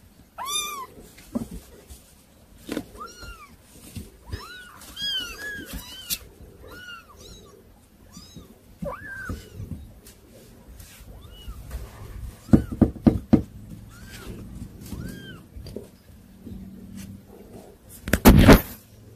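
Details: Hard-to-control kittens giving short arched mews in a steady run through the first ten seconds, then clattering knocks and rustling with only occasional faint mews and a loud bang near the end.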